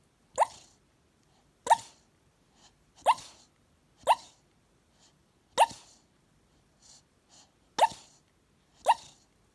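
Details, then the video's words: A sleeping Staffordshire Bull Terrier puppy on a couch, dreaming with eyes half open, gives soft, muffled little woofs about every second or so. "Staffie puppy barks in his sleep"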